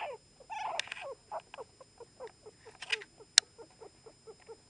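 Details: Newborn Chihuahua puppies from Sweet Pea's litter of three, just after birth, give a rapid run of short, high squeaks and whimpers, several per second, some sliding upward, with brief rustling between.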